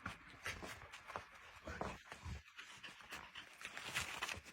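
A Cardigan Welsh Corgi puppy pants in quick, breathy bursts, with a few soft whimpery notes.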